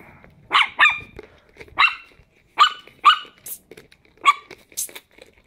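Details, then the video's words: Chihuahua puppies, 10 weeks old, playing together; a series of short high-pitched yips and barks in bursts, about seven sharp calls over five seconds with brief quiet gaps between them. "Chihuahua Puppies 10 Weeks Old Playing"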